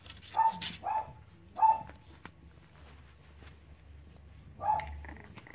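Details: Cavalier King Charles Spaniel puppies at play give short, high, whining whimpers, three close together in the first two seconds, then a quiet gap before a fourth thin whine near the end, with faint scuffling underneath.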